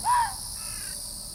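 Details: Ezo red fox giving one short, harsh yelp with stacked harmonics that bends up then down, followed by a fainter drawn-out tail, over a steady high insect-like hiss.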